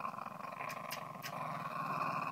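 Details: A female Cairn Terrier growls in a continuous, grumbling rumble, rough and throaty, with a few sharper snorts, swelling louder toward the end; an affectionate display she gives only her owner when he is leaving, showing her teeth.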